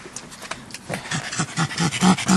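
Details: Pug panting at a dog park among other dogs; quick rhythmic breathy pants, about four to five per second, growing louder toward the end.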